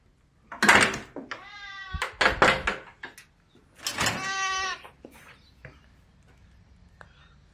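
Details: Gaga, a hungry Russian Blue cat, meowing: two drawn-out, clearly pitched meows about two and a half seconds apart, with a few short sharp knocks and clicks between and after them.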